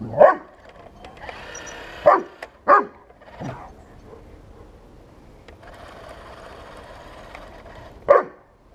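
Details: Bernese Mountain Dog named Buddy confronting a 1:16 scale remote-control tank: a sharp bark opens, two more follow close together around the two-second mark, then a softer one and a final bark near the end, with a whirring toy motor between.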